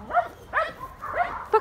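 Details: A dog gives four short, harmonic barks in under two seconds, yappy and mid-pitched, the last one clipped and sharp.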